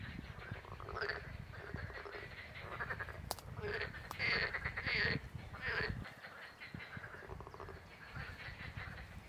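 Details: Pelophylax green frogs calling at the Vrhnika ponds near the old brickworks on 27 April 2023. Rough, buzzy croaks come in uneven bursts, loudest in the middle, then fade to quieter chatter. Two sharp clicks break in early on.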